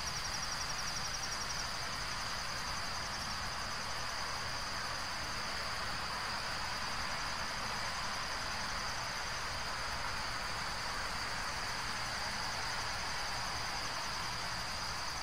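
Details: Steady high insect trill with a second pulsed band in the first few seconds, heard over loud continuous broadband noise like wind or distant traffic.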